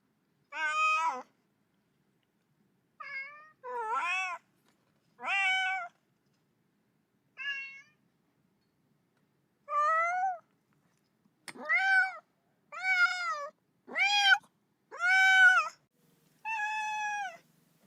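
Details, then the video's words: Sad kitten calling for its mother with about eleven meows over eighteen seconds, some short and sharp, others rising then falling, growing more frequent and insistent toward the end. "외롭고 슬픈 아기 고양이 울음소리, 엄마 어딨어~(Sad baby cat sound)"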